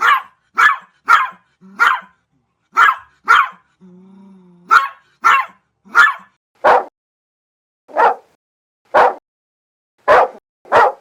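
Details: Domestic dog barking in a compilation of many breeds, large and small: about twenty sharp broadband barks, singly and in quick pairs, with a brief low hum near the middle.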